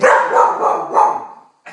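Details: Australian Cattle Dog, a blue heeler, vocalising while watching television; one drawn-out, harmonic bark-howl that slowly fades, followed by a short burst of sound.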